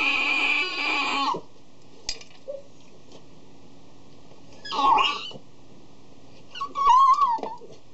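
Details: Indoors before a meal, Tigger, a male Cavalier King Charles Spaniel aged 3, whimpers over his dog dish. Three separate cries: a drawn-out whine at the start, a short squeaky one midway, then a wavering whimper, with small knocks between.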